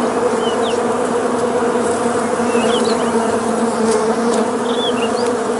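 A dense, steady drone of many honey bees buzzing together as the swarm attacks.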